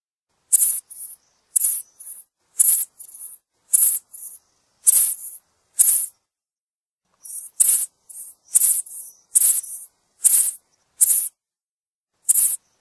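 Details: A bush cricket (chicharra), a small-winged flightless insect heard among grasses and shrubs, gives short, very high-pitched buzzy bursts, often in quick pairs, repeated in an uneven rhythm.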